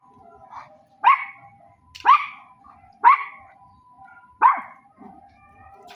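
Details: Dog barking: four loud, sharp barks spaced roughly a second apart, each a short rising burst, with a soft whine between, against a quiet background.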